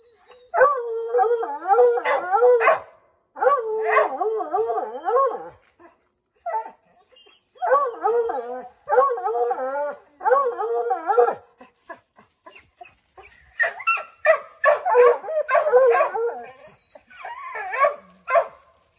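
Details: Treeing Redbone Coonhounds, five dogs baying at a chipmunk in an oak: drawn-out wavering howls repeated in groups, followed by a rapid series of overlapping choppy barks.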